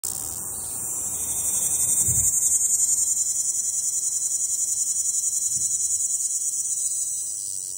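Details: Magicicada tredecassini, a nearly-threatened periodical cicada, singing on a window: an intense high buzzing drone, steadily pulsed at about three and a half beats per second, swelling in loudness then holding, with faint low thumps beneath.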